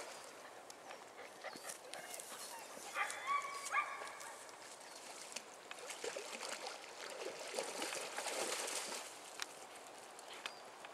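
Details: Giant Schnauzer puppies of a litter born 24 July 2012, playing at a river in Neustadt-Glewe, Germany, after one fell into deep water; a brief high whining whimper around three seconds into steady rushing outdoor noise.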